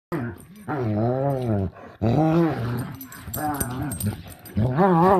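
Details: Two dogs, Juliette and Nogal, at play, giving drawn-out, arching growl-moans with rising and falling pitch, in four long bursts separated by brief pauses.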